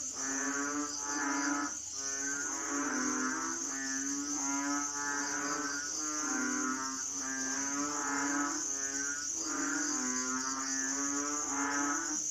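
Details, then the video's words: Asian frogs in full chorus, layered nasal croaks of steady low pitch pulsing roughly thirty times a minute, voices overlapping, over an unbroken shrill high background hum. "sound effects Asian frogs/សំឡេងហ៊ីងយំ"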